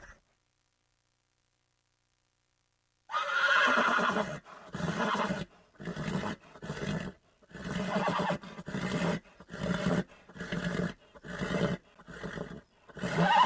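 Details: Horses on a farm neighing, a loud whinny after three seconds of silence followed by a rapid series of short, evenly spaced bursts of sound, like galloping or repeated snorts, continuing to the end.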